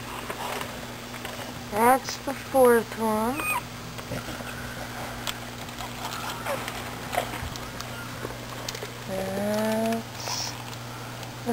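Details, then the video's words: Newborn American Bulldog pups, from a litter of nine born in the middle of the night, give short, wavering, high squeals in two brief bursts, with a person talking over them. "Dixie has her pups"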